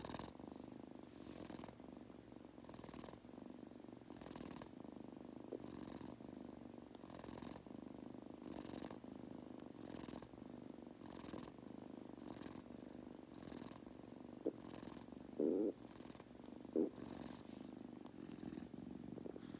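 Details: Sleepy pet Munchkin kitten Goku purring in a small room: an even low purr paced by regular soft breath sounds roughly every 1.3 seconds, with two brief clicks near the end.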